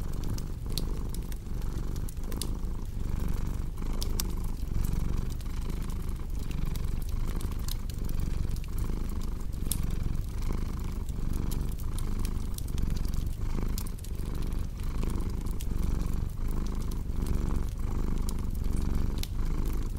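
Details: Steady, deep purring of a cat, its rumble pulsing regularly with breathing cycles for twenty seconds, set over intermittent crackling and popping of a fire, a relaxing sleep soundscape.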